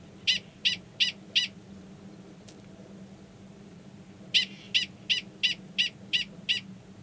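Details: Male Gunnison's prairie dog, known as 45, calling near a burrow holding an estrous female, Valles Caldera National Preserve, New Mexico, March 2017; sharp high chirps in a bout of four, a pause, then seven more, about three per second.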